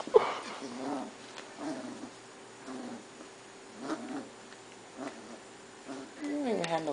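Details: Tank, a young Pit Bull puppy newly adopted as a family pet, gives short, low, harmonic whimpering sounds about once a second indoors. A longer, louder rising whine closes the sequence. Soft human voices are heard faintly in the background.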